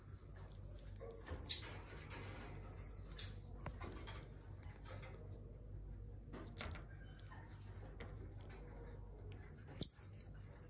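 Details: Shrill, high, falling whistles and short squeaks come from an aged female common marmoset kept in a zoo, her fur all white, spaced among quiet taps and a sharp burst of squeaks near the end.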